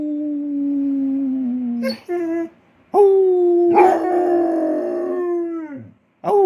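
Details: ['Howling Basset Hound, a pet urged on by its owner: drawn-out mournful howls that slide gently downward, broken by short pauses, each new note starting abruptly and swelling, the last fading into a low dropping tail.']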